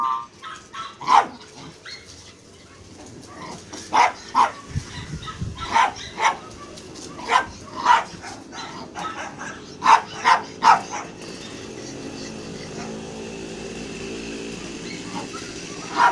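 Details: Playing Jack Russell Terriers, rough coat and smooth coat, named Frosty and Bailey, give short, sharp barks in irregular bursts, often doubled or tripled, over a low background hum.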